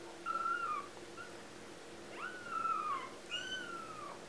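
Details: Litter of four 2-week-old kittens giving long, high, gently descending mews, three cries in quick succession, each lasting about half a second to a second, over low room hum.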